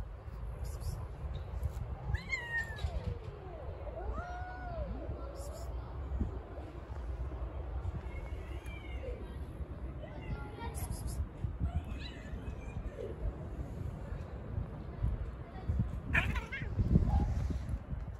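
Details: Hungry stray cats gathered on the street for a chicken dinner, fighting over the food; several wavering meows that rise and fall come in bursts, some drawn out, over low traffic rumble, with a sharp clatter near the end.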